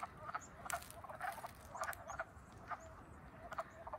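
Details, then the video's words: Wood frogs at Frog Moon Hollow in Middlesex, Vermont, on April 7, 2020, calling minutes after waking in early spring; faint, scattered clucking croaks a few times a second over a soft, hissing background. "The Wood Frogs Wake Up at Frog Moon Hollow 2020!"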